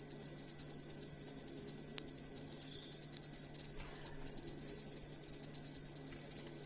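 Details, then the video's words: Shrill, rapid cricket chirping used to teach songbirds; bright high pulses repeat about three times a second in an even trill, with a quiet background hum and no other animals. "Asli Ampuh Suara Jangkrik Buat Masteran Burung Kicau"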